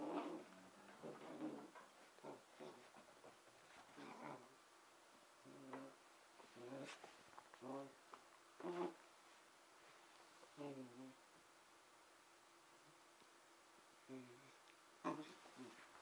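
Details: Emma, a 5.5-month-old red and white Pembroke Welsh Corgi puppy, playing by herself indoors on Christmas night 2009; short whiny, grumbling vocal bursts with harmonic tones come in scattered spurts amid quiet gaps and light knocks.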